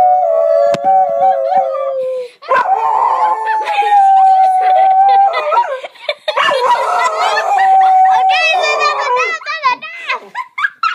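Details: A Basenji barroos for the children, giving long wavering yodels that slide and warble up and down.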